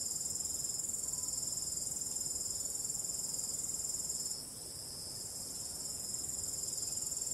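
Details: Crickets calling on a starry night with calm wind; unbroken high, shimmering trill, briefly softening around the middle then returning, faint low rustle underneath.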